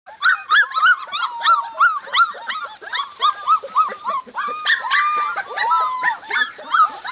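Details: Golden Retriever puppies, four weeks old, barking and squealing in a rapid overlapping string of high, arched yips, roughly three per second, with several pups calling at once and some whining.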